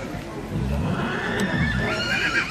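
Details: Holsteiner horse at the 2014 Holsteiner foal championship in Dithmarschen, second filly ring; a short harmonic whinny rises near the end, under a German commentator's speech and low arena rumble.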